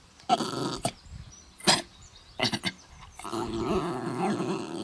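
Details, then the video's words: Mutley, a dog with a very bad cough, tries singing at Bredagh, Carrigallen, County Leitrim, August 2016: several sharp, explosive coughs spaced about half a second apart, followed by a sustained rough, quavering howl. "Funny dog tries to sing, but he suffers from a bad cough."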